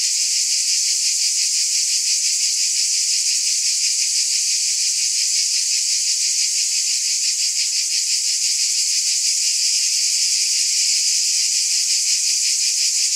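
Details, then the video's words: Continuous high electric buzzing of cicadas, evenly loud for the whole stretch, its texture shimmering with quick regular pulses. "Scintillating Cicadas"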